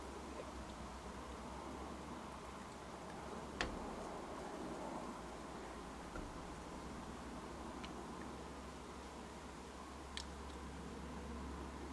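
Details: Steady low background hiss and hum with a few faint clicks or ticks, no animal voice.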